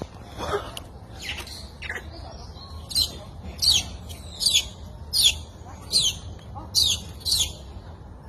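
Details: Wild baby macaque crying after its mother bullied it, giving thin, high, falling squeals roughly every second; they start scattered and faint, then grow louder and more regular toward the end, over a soft low background rumble.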